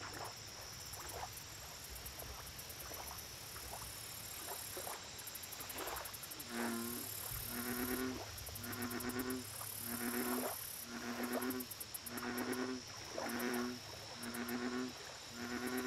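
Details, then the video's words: American bullfrog at a lake, starting with faint distant croaking that builds into a clear series of deep, even, droning notes about once a second, high insect chirring throughout. "Bullfrog Lake Audio Only"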